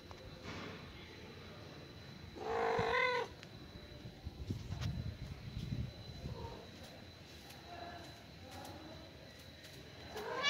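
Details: Mother cat calling her only kitten after killing a huge rat: one short, bright, harmonic meow near the start, then low rumbling and scattered faint rustles and clicks in a quiet indoor-sounding space.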